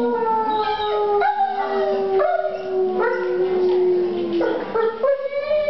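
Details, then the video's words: Indoors at galleria MelePere in Verona, Italy, at the November 2009 opening of "Del Plumbeo", a wolf gives a long, steady howl that sags gently downward, then rises again as overlapping tones join in near the end. "The howling of a wolf"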